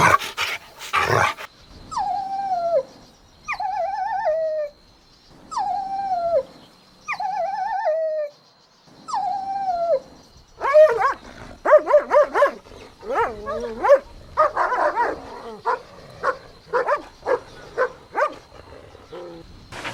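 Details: Golden Retriever puppies playing outdoors in a meadow: a series of drawn-out, falling whimpering whines repeated every second or so, then a busy jumble of rising yelps, squeaks and short yips.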